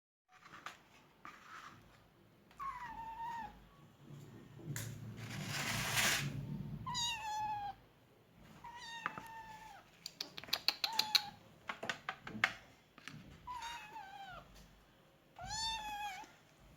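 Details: Persian kittens, 37 days old, at feeding time, giving a series of short, high mews with a falling tail. The mews repeat every second or two, mixed with rustling and a loud burst of handling noise midway.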